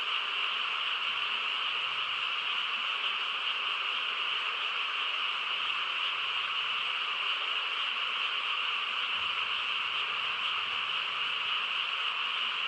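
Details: On a calm rural night, a chorus of frogs drones on as one seamless, high trilling mass, unchanging in volume, with no other sounds clearly heard.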